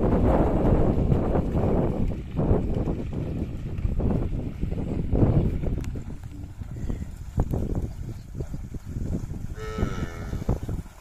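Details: A herd of cattle heading down to a river together: rumbling, trampling low noise throughout, then one short harmonic moo near the end.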